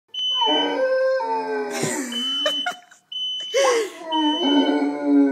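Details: Great Dane and English Mastiff mix dog, frightened during a fire alarm test, howling in long wavering tones with a break midway, while a steady high electronic alarm beep sounds throughout.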